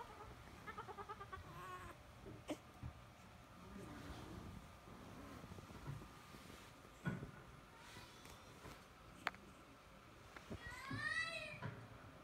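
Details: French Bulldog puppy yelling to be held: faint whiny cries early on, then a loud burst of wavering, rising-and-falling yelps near the end, with rustling handling noises and a few sharp knocks.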